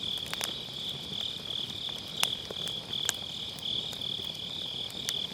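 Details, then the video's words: Grass insects trill steadily and shrilly through an autumn night as firewood in a round fire pit snaps in several bright crackles; recorded using a Sennheiser MKE600 with low cut. "가을밤 풀벌레 소리"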